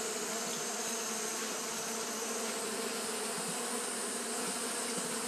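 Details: Japanese honey bees fanning continuously on a hot day; a dense, steady hum with a strong band near the low-middle pitches and broad hiss above, unbroken throughout, with a faint high whine overhead.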